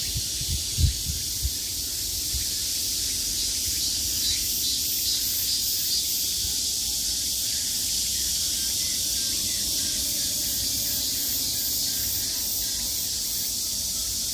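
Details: Cicadas at the height of summer fill the air with a dense, unbroken high-pitched buzz, steady throughout with a faint rhythmic pulsing roughly once a second; a few soft low thumps sound near the start.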